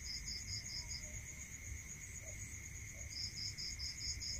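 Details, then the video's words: Night crickets in the countryside give quick, regular pulsed chirps, a short burst then a pause before another run, set against a constant shrill background hum and a steady lower whine, plus faint low noise. "Listening to Cricket Sound Natural meditation music"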